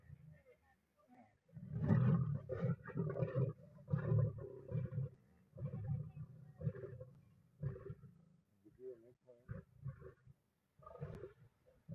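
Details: Three lionesses in the Masai Mara share a meal near a river while a large Nile crocodile approaches and challenges them for it; deep, rumbling growls come in repeated bursts over several seconds, with a brief human voice nearby.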